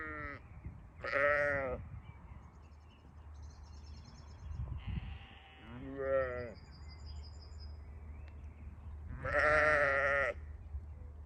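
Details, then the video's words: Sheep on a farm calling with a series of wavering bleats, a few short and one long loud one near the end, with faint high chirps and low rumble between. "sheep sound"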